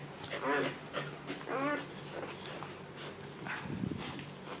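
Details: Siberian Husky Luna giving birth to puppies on her second labor: two short, tonal whines that rise and fall in pitch, a second apart, followed by quieter breathing and soft rustling.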